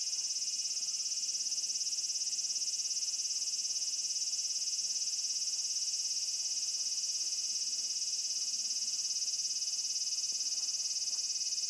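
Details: Cicada producing a loud, sustained high-pitched drone, steady and unbroken for the whole stretch, with a fast shimmering pulse.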